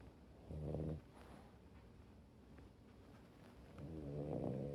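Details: French Bulldog, a rescue dog, asleep on its owner during rain that kept it from a walk: two low, buzzing, rattly snores about three seconds apart, with soft breathing in between.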